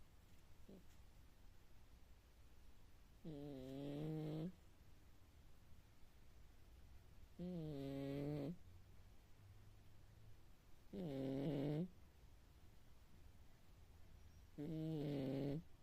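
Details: Cat snoring loudly like a healthy grown man indoors; four rasping, buzzy snores about a second long, repeating roughly every three and a half seconds, with quiet breathing between.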